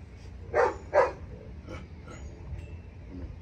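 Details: German Shepherd named Malaki, on a leash during obedience work, gives two sharp barks about half a second apart, followed by quieter shuffling and faint background noise.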